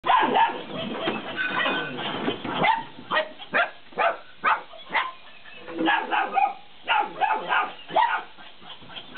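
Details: Belgian Malinois puppies, 50 days old, playing indoors with a laughing cat toy; a dense run of short, sharp yips and barks, rapid and uneven at first, then evenly spaced bursts roughly every half second.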